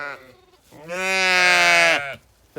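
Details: Sheep flock with many lambs at lambing time: a loud, sustained, nasal bleat of about a second dominates, with shorter calls just before and at the very end.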